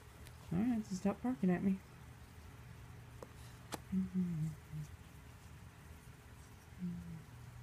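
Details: Dog "talking" to its owner indoors: a run of short rising-and-falling whines and yowls, then a pause and a few softer moaning grumbles, with quiet Dutch speech and low room hum behind.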